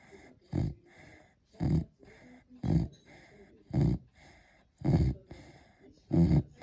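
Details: Beagle snoring while asleep indoors; rhythmic low snorting snores roughly once a second, six in a row, each a short rough burst followed by a soft exhale.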